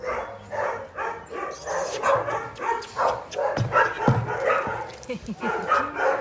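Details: Rapid yapping from small dogs, short bright barks tumbling about three per second alongside a human voice and some low rumbling.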